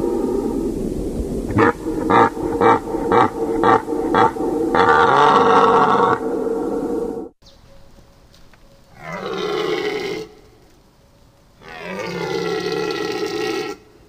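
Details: Deer calling: a run of short pulsed grunts repeated about twice a second, then a sustained roaring call, and after a pause two long, drawn-out harmonic bellows, over a continuous low background hum.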